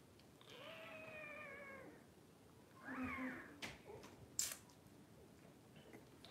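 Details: Puppies on a livestream kept running through a power outage. A drawn-out, slightly falling whine with strong harmonics lasts about a second and a half. A shorter nasal squeal follows, then soft rustling and a sharp click.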